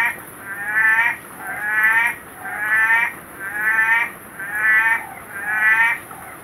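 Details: Litoria chloris, the orange-eyed tree frog, at night: a steady series of drawn-out, rasping, harmonic moans, one about every second, each swelling and fading. A faint high tone hums in the background.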